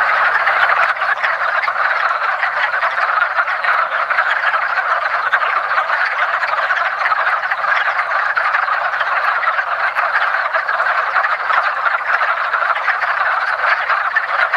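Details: Breeding wood frogs crowd a woodland pond at the first hint of spring, producing an even, unrelenting chorus of countless short, duck-like croaks blended into a continuous rasping hum.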